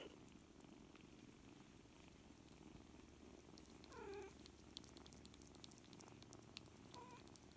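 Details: Purring from four-week-old kittens, seven littermates learning to play with each other indoors: a steady low rumbling throb, with one brief high mew rising near the middle.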